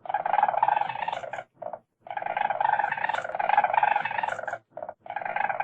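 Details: Weasel giving a rapid, harsh pulsed chatter in long buzzing bursts of about one and a half seconds, separated by brief pauses with short stuttered bursts between them; no other sounds.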